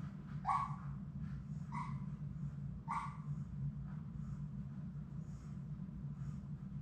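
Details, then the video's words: Six Labrador Retriever puppies playing together indoors in their play room. Three short, sharp yips sound at about one-second intervals early on, then quieter faint squeaks follow over a steady low hum. "Labrador puppies at play!"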